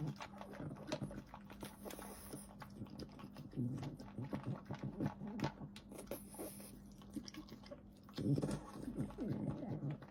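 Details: A French Bulldog chews and slurps its food, making dense runs of crisp clicking and smacking noises with a couple of louder wet bursts, over a constant low hum.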